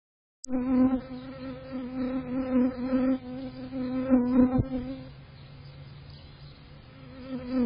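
A bee's steady, droning buzz, low and rich with overtones, swelling and fading as it moves.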